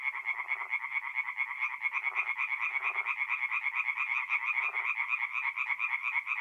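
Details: Forest pond in north-east Italy on a mid-April night, where tree frogs keep up fast pulsed croaking; a few lower, throatier calls surface briefly amid the steady high-pitched chorus.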